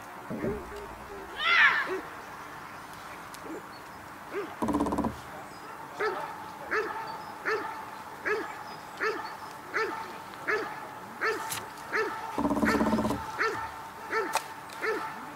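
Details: Cobra van de Amorhoeve, a dog doing protection work at the NIK 2016 dog sport trial, barks in a steady run of short, even barks about every 0.7 seconds, after a brief high squeal; bursts of human voice break in twice.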